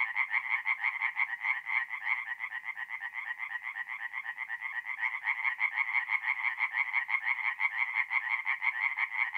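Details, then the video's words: Mid-April tree frogs singing in a forest pond after dark in North-East Italy: regular, rapid pulses of a bright rattling croak, many frogs overlapping into a steady chorus throughout. "relaxing forest pond by night with singing tree frogs"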